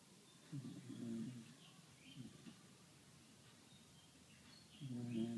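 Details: Sleeping dog giving rough, low snores, a long one, a short one, then another starting near the end, with soft high chirps faintly heard in between.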